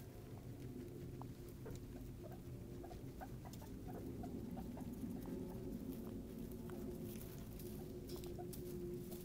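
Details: Several pet guinea pigs give brief, quiet chirping squeaks at irregular intervals, a soft low rumbling murmur running underneath, with constant rustle of movement in their enclosure.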